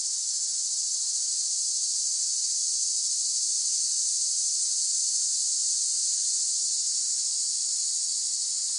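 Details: Steady, shrill cicada chorus: a continuous hissing buzz at constant loudness, with no pauses or breaks and nothing else audible.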